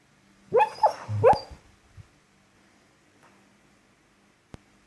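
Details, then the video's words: Dozing female dog gives a quick run of three stifled barks in her sleep, clipped and yelping, followed by quiet breathing and a single faint click near the end. "Dog barking in her sleep and snoring funny"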